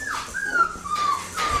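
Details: Happy four-week-old male Australian Shepherd puppy, indoors, giving a drawn-out, high, thin whine that slides slowly downward, breaks briefly, then resumes at a steady pitch. The room is otherwise quiet.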